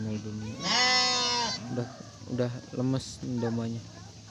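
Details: Garut sheep bleating while a ewe gives birth to three lambs; one drawn-out, quavering bleat near the start, followed by several short, clipped sounds mixed with nearby voices.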